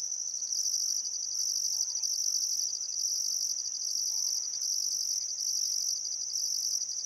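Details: Australian crickets by the Barcoo River in Welford National Park, Queensland Outback, at summer sunset; an unbroken piercing trill with evenly spaced louder pulses, quiet background otherwise.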